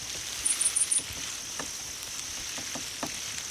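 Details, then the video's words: Grass insects, likely crickets, heard in a sound meant to lure cats: four quick high chirps come early over a faint steady trill, followed by a few soft clicks. "고양이가 좋아하는 벌레 울음소리를 들려주세요! 🦗 (풀벌레 울음소리)"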